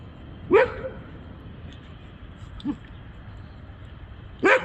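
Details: Labrador retriever playing at night in Bogotá, giving a sharp bark, a faint short yip, then another sharp bark a few seconds apart, over a quiet low background hum.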